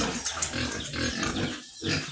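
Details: Domestic sows on a farm, four due for artificial insemination in January, giving rough low grunts and snorts through steady broadband farm noise, with a throat being cleared nearby.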